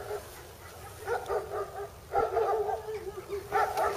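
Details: Other domestic dogs barking during a walk in Poland, probably wanting to talk to another dog; a few short barks in bursts around one, two and three and a half seconds, with footsteps and outdoor background noise.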